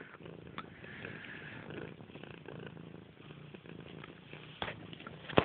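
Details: Grey, a pet cat playfully attacking a blanket, keeps up a soft, low rumbling purr under rustling fabric, with a few scratchy clicks and a sharp knock at the end.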